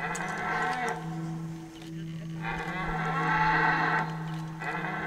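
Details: Rutting red deer at Hoge Veluwe park in 2023. Drawn-out, rich bellows: one short roar, a pause, then a longer swelling roar of about one and a half seconds, with a low hum running underneath.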